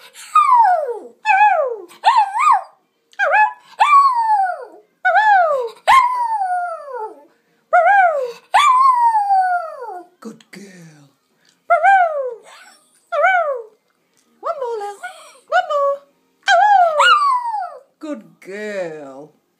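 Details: Female Lhasa Apso pet howling along as her owner sings; a long series of wavering, yodel-like howls, each sliding up then down in pitch, about fifteen bursts over twenty seconds separated by brief silences.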